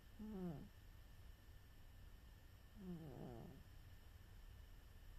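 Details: A napping house cat named Charo gives two snoring breaths about two and a half seconds apart, short raspy descending drones over a soft indoor background.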